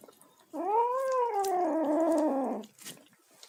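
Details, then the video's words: One sustained, slightly rising then falling moan of about two seconds from a kitten busy eating, with a faint chewing click afterward. "kitten making noises while eating"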